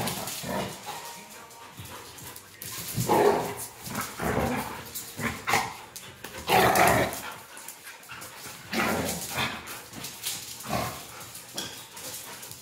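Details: Beauceron and Tervuren dogs kept confined, playing with each other: repeated rough barks and growls in short bursts every second or two, over a continuous noisy background.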